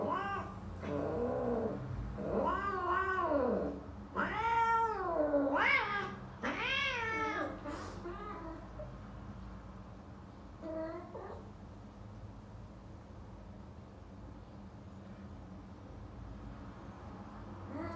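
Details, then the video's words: Minuet British Shorthair cat with a female during mating, caterwauling: a run of loud, wavering, rising-and-falling howls for several seconds, then quieter, with one short yowl later over a low background hum. "How Minuet British Shorthair Mate with Female"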